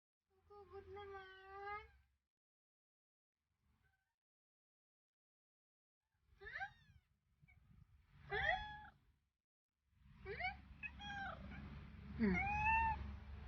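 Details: Kittens kept as pets alongside baby squirrels that a cat is nursing; a series of meows, first steady and drawn out, then quick rising and falling mews repeated over low rumbling handling noise.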